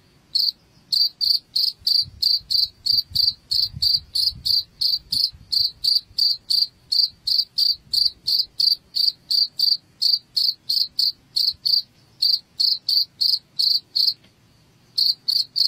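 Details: Cricket chirping, played as a rat repellent: steady high-pitched pulses repeated about three times a second, with a couple of brief pauses near the middle and end, faint low rumble beneath.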